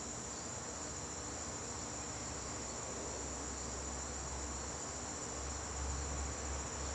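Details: Evening garden in September with crickets trilling steadily at a high, constant pitch; a low rumble swells briefly near the end beneath the unbroken insect chorus.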